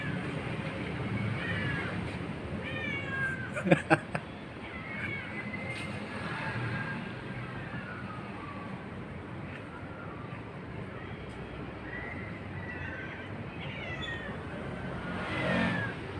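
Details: Orange domestic cat perched up high while its companion stays below, meowing repeatedly: a string of drawn-out, wavering meows that rise and fall, spaced every second or two, with a person's voice calling and a few sharp knocks near the start.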